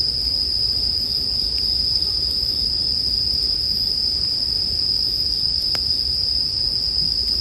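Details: A steady, piercing chorus of bell crickets rings on at one high pitch, paired with a quiet bonfire; a single sharp crack late in the clip and faint fire hiss below.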